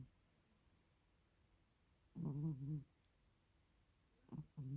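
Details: Cat snoring in its sleep: one wavering, low, buzzy snore lasting about half a second, then a shorter snore starting near the end, otherwise quiet room.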